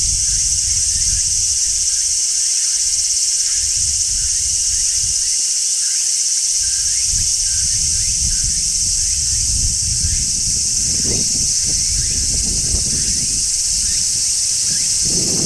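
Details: Midsummer cicada chorus with a large brown cicada on a tree: continuous piercing, hissing drone holding steady the whole time, faint ticking pulses within it, and gentle rustling growing in the lower background toward the end.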